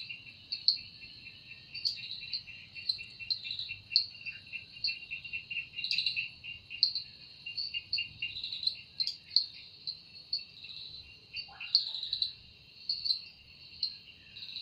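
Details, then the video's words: Cicada heard at evening in a forest, sounding with its wings. A piercing continuous buzz with frequent pulsed peaks sits over a dense lower ticking rhythm, and one brief descending note cuts in midway. "Woundering voice of Cicada"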